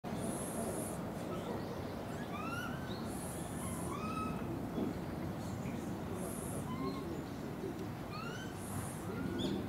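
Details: Japanese macaques in a troop at Takasakiyama Natural Zoo, Oita, Japan, filmed November 2019, give many short, rising, whistle-like calls over a steady background murmur.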